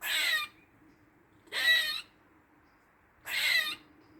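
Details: Squirrel making weird noises in a Dublin garden on the forenoon of 16 August 2023: three harsh, raspy, hissing bursts, each about half a second long, spaced roughly every 1.7 seconds, over a faint low hum.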